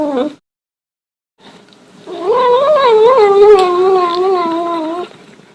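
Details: A cat making a strange sound: a long, wavering, moaning yowl lasting about three seconds, pitch wobbling up and down with strong overtones, after a brief short cry at the start and a quiet pause.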